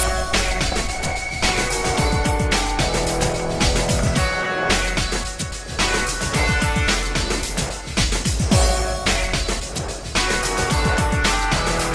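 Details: Loud electronic music with a heavy beat and dense instrumental layers fills the whole recording.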